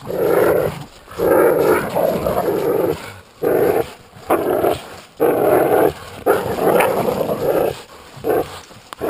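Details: During tug of war a Jack Russell Terrier and an American Staffordshire pit bull growl in choppy bursts, each rough rumble lasting under a second and repeating about every second with clear breaks.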